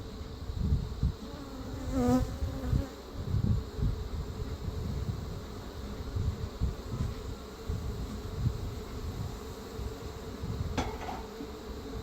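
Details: Many honey bees swarm around opened frames as a beekeeper smokes them during requeening of a defensive feral hive with Africanized genes; dense, low, fluctuating buzzing with bumps and clatter from frames being moved.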